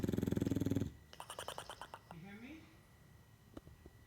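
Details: A female English Bulldog snores with a loud, low, rattling flutter like a cartoon character, then softer clicking breaths and a thin rising whistle.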